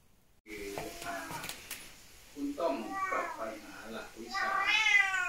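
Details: Korat cat, born and raised in Thailand and now nearly fifteen years old and living in England, meowing indoors; several short tonal meows, then a longer rising, wavering meow at the end, mixed with a woman's voice.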